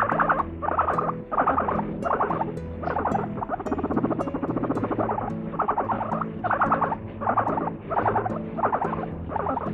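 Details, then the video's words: Pet guinea pig laughing heavily: rapid pulsed chuckling bursts repeated in short runs about every second, a steady stuttering rhythm throughout, with soft music playing underneath. "めちゃくちゃ笑うモルモット Laughing guinea pig"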